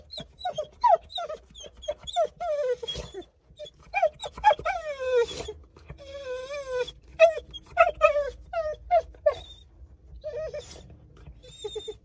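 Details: A Chow Chow dog protesting at the vet with near-continuous whining: quick, high, quavering whimpers and drawn-out moaning wails, repeated in clusters with brief gaps, loud and close.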